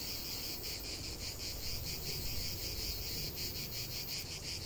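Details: Brief stretch of cicada chorus in nature: loud, shrill, rapidly throbbing buzz without pause, backed by a low background rumble.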